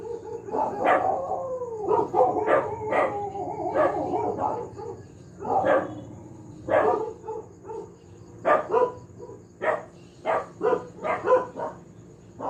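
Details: A household dog barking over and over, sharp broadband barks in quick bursts with some longer whining, howl-like notes early on, a steady faint electrical hum behind.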